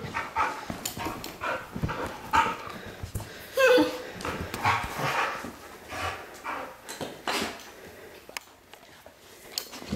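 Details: Pet dog Lady Bear, overjoyed at her owner's return, whines excitedly in a string of uneven high whimpers and yelps over about ten seconds indoors, with a person speaking and rustling movement throughout.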